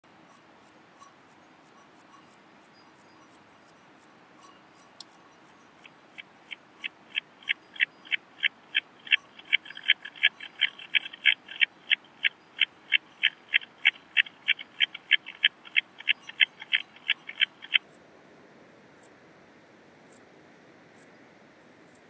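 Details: Purple meadow bush-cricket singing in Muhrtal, Austria, 9 October 2020: a steady series of short, sharp high-pitched chirps about three per second, with a lower-pitched ticking version of the pulses heard through a Pettersson D 100 ultrasound detector midway.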